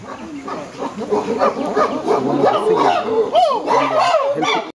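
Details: Chimpanzees in trees calling to tell others that good food has been found; several voices overlap in excited hoots and rising-falling screams, loud and continuous.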